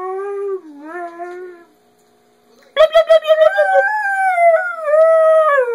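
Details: Part husky dog howling at its owner, its way of talking: a soft falling howl, a brief pause, then a burst of quick pulsed yips that flows into a long wavering howl rising and dipping in pitch.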